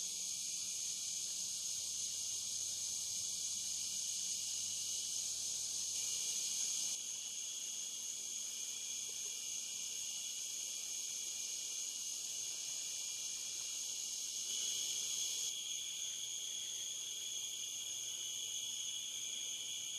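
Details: Insect chorus of cicadas along the Licking River at Morning View, captured between dusk and dawn: continuous shrill buzzing in two steady high bands, intensity stepping up and down twice, with a soft low hum underneath early on.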